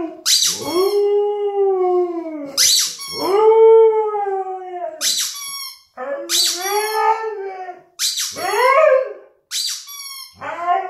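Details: Siberian Husky howling along indoors to a squeaking toy rubber chicken: long wavering howls that rise then fall, alternating with sharp, bright squeaks of the toy about every two to three seconds.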